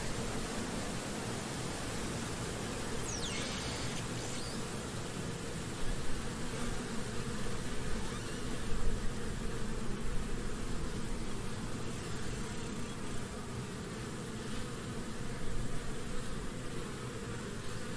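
A European hornet's low, steady wing buzz drones on, swelling louder at moments against a rough background hiss.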